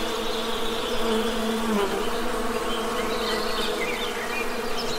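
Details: ['A continuous low droning buzz from honey bees holds level throughout, rich in stacked harmonics, while soft distant bird chirps flicker faintly above.']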